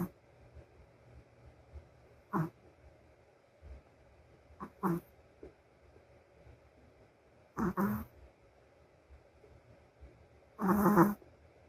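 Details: Female Shih Tzu asleep, giving scattered snorts and rasping snores at irregular intervals, some brief and sharp, the last one longer and louder; a low hum sits under the quiet stretches between them.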